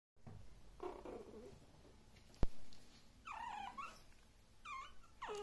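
A Maltese gives short, high, whiny yips after a low growly rumble and a sharp knock.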